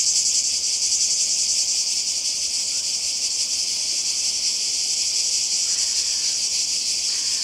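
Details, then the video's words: Constant high-pitched cicada drone by the sea in Croatia during summer, even and unwavering, with a slight faint lower tone entering near the end. "Kroatien Zikaden und Meer"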